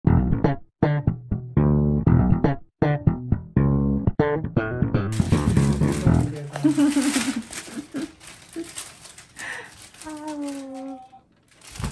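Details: Plucked bass and guitar music with a voice speaking, then a busier stretch of music with sustained tones; no animal sound is heard.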